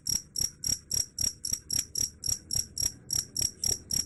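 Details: Cricket chirping, described as able to chase off rats; bright high ringing pulses repeat regularly about three times a second over quiet low background noise.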